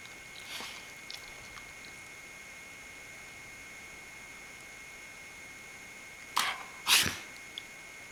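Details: White Akita named Genki, indoors after his meal, teased by his owner and trying to bark in anger but sneezing instead; two sharp, noisy sneezes close together near the end, after a faint snort early on and long quiet between.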